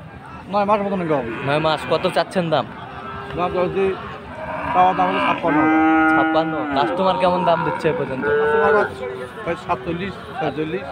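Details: Bull calves of Friesian and crossbred stock calling at Aftabganj livestock market in Dinajpur on Saturday 18 March: a string of short, bending moos, then a long, even bellow near the middle and more brief moos, with crowd murmur behind.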